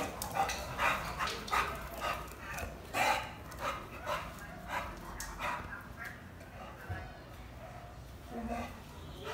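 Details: Dog named Black, worked up by another dog nearby, giving a quick run of short barks, about two per second, that fade out midway, followed by quieter indoor sounds and a brief low voice.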